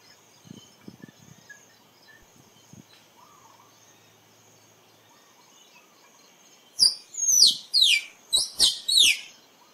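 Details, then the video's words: Near-silence with faint rustling gives way to a squirrel's burst of shrill, falling squeaks, about six notes delivered rapidly in the final three seconds. "เสียงกระรอกร้อง คมชัดไว้ต่อ squirrel sound"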